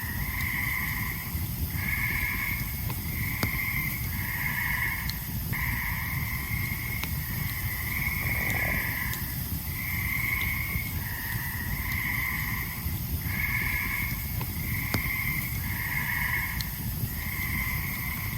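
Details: Tree frogs call in a steady chorus of nasal, honking notes, each about a second long, over a crackling campfire in the forest around Ricketts Glen on a summer evening.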